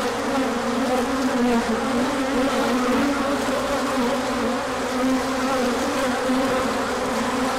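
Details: Many bees circling in a big orientation flight as sunshine follows a colder spell, March 24, 2024; continuous layered buzzing with a low drone and a higher overtone that drift slightly in pitch, no other sounds.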